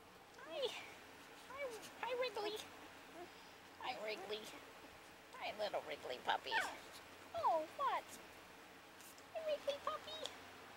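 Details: Puppies playing together, one called Wrigley, give a series of short high yips and whining yelps that rise and fall, coming in bursts every second or two, with a woman talking to them between the calls.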